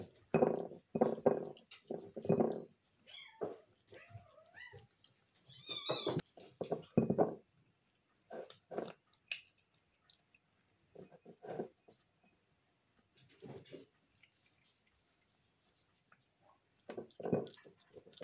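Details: A female Snow Lynx Bengal pet cat, a loud eater who loves her food, eats noisily, with bursts of chewing and low, murmuring grunts between bites.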